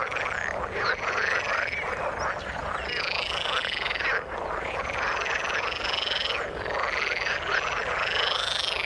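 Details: Frogs calling in the water: a steady croaking chorus, with a louder arching, whining call rising and falling above it roughly every three seconds.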